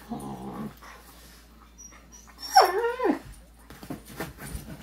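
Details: Two pet dogs play fighting on a couch, nibbling at each other's faces and wagging their tails excitedly. A low growl opens, then a loud whining yelp slides downward in pitch midway, followed by soft scuffling.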